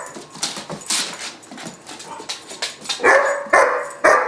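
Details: German Shepherd puppy Gunner, about 4-5 months old, in a barking tantrum: scuffling and clattering noise at first, then three loud barks near the end.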